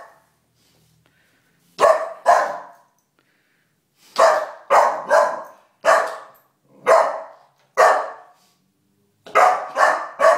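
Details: Calvin, a four-month-old Golden Retriever puppy indoors at home, barks at a stuffed bear in the living room: loud, sharp barks, single or in quick pairs and triples, separated by pauses of one to two seconds.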